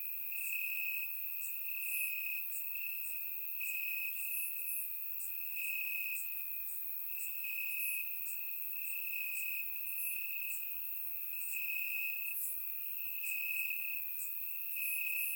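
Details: Crickets chirping in grass on a warm summer night in Bulgaria, recorded with a surround microphone: a steady high trill with regular pulsing bursts roughly every half second, plus fainter higher chirps from other crickets above.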